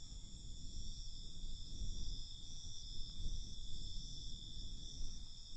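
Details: Crickets at night give a steady, high-pitched trilling in several continuous tones, held without pause, over a rumbling low background noise that swells and fades.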